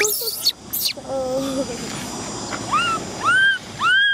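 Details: Baby Cola, an orphaned female macaque, crying because she wants to ride a bike; human voices open the clip, then three rising-and-falling tonal wails follow, each arching up and dropping, growing louder toward the end.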